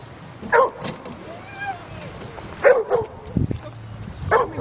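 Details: Dogs stranded in a drifting canoe bark while a black Labrador swims out to tow them ashore; three short sharp barks spaced over a few seconds, with a thin whistle-like tone and background noise between them.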